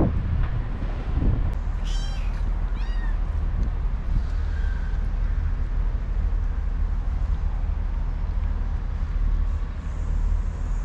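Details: Motherless kittens found on the street 15 days earlier and brought home after a week, excited at feeding time with wet cat food; a short burst of high, thin, rapidly repeated mews early on over a steady low rumble.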